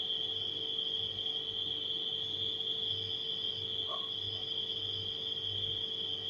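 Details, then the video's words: A constant high cricket trill fills the night, unchanging throughout, over a refrigerator's low steady hum; a brief soft mid-pitched blip sounds near the four-second mark. "Crickets & Refrigerator Humming Sound"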